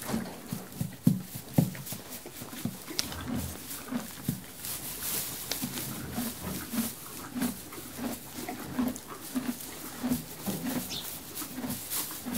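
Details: Horse munching hay in a cozy stable: steady low crunching bites about one and a half per second, with scattered sharp clicks and rustles as it moves around; no other animals or voices.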